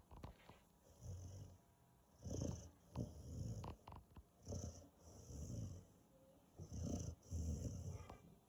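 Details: Five-month-old Rottweiler puppy asleep, snoring in deep, rumbling low breaths that swell and fade roughly every second or so, with short quiet gaps and faint hiss between breaths.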